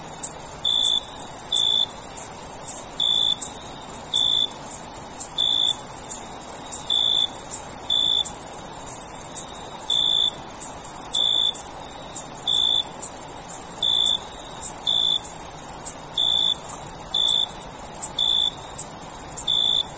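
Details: Cricket chorus at night: a constant sizzling high trill, punctuated by roughly fourteen short, lower chirps spread fairly evenly across the stretch.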